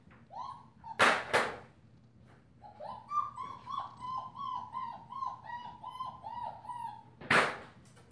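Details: Five-week-old female German Shepherd puppy with a purple collar, sired by Ibon Jipo-Me out of Witch von Wendelin, gives a run of short, slightly rising whimpers in quick succession, framed by sharp clattering knocks before and after.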